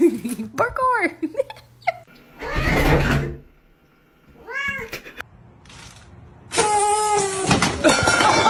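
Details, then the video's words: Cat meowing indoors amid laughter and talk; two bursts of arched, wavering meows, each a quick series of rising-then-falling cries, separated by a stretch of human speech, ending with a loud noisy burst. "Funny Meows"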